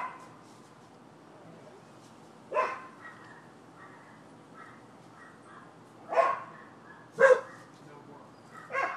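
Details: Neighbors' dogs barking in Florida, recorded 12/7/15 as nuisance noise: sharp single barks at irregular intervals, around 2.5, 6, 7 and 9 seconds, with quiet background between them.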